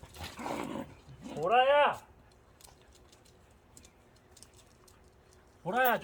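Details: Cheondung-i, a dog, after a walk: two drawn-out, tonal barks that rise then fall, each about half a second long and four seconds apart, with a burst of human voice at the start.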